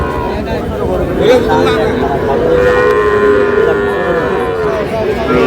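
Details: Sahiwal bull calves at a cattle market in Kushtia, Bangladesh, on 3 July: one drawn-out, steady moo lasting about two seconds rises above constant crowd chatter and men bargaining over prices.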